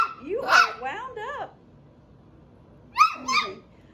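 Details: Seven-week-old puppies from Phoebe's litter give high, whiny yelps with bending, sweeping tones: a run of cries over the first second and a half, a quiet pause, then a second short burst near the three-second mark.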